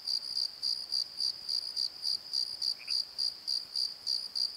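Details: Night-time crickets in a valley bottom, regular high chirps pulsing roughly three times a second over a continuous trill, with one brief lower chirp from another creature near the middle.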